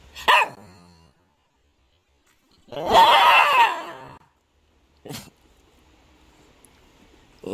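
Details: Thirteen-year-old mixed-breed house dog, one of two brothers living together, barking back as its owner keeps asking whether it wants to eat; a short yap, then a long rough drawn-out bark, then another brief bark between pauses.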